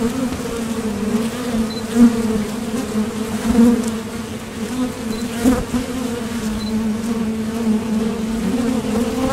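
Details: Honeybee traffic at a Top Bar Hive entrance, with foragers departing for nectar and returning. A thick, unbroken low hum swells slightly as bees fly near, and faint thin tones sound now and then.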